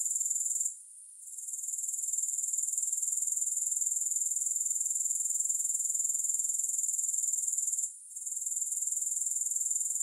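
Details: Grasshopper sound free of music: a thin, sizzling, fast-pulsed trill broken by two short dropouts near the first and eighth seconds, otherwise steady and uniform.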